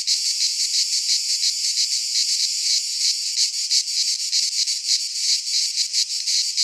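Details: Midsummer chorus of cicadas in a pine forest in Greece, a steady high rasping buzz with fast shimmering pulses, swelling slightly in the second half, unbroken and dominating throughout.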